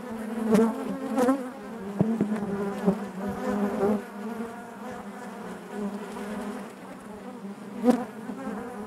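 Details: Honey bees humming in their hive, a thick droning buzz with warm harmonics; several close bees pass loudly in the first four seconds and again near the end, between calmer steady stretches.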